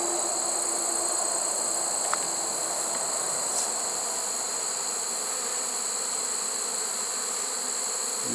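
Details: Honey bee swarm caught in a swarm trap late in the season, 1 September 2019: a steady, dense low hum of many bees, with a constant high-pitched insect trill above and a few faint clicks.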